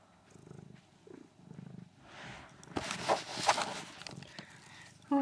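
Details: Foxy, a female pet kitten, purrs softly in low, rhythmic pulses for about two seconds, each pulse lasting about half a second. Loud rustling and handling noise follows, then a brief higher sound at the very end.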